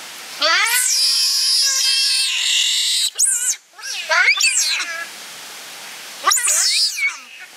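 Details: A giant otter family at Chestnut Centre, Chapel-en-le-Frith, six animals including two home-born cubs, filmed 25 June 2011 in captivity. An intense, sustained, high-pitched scream lasts several seconds, followed by shorter rising-and-falling shrieks, with visitors talking nearby.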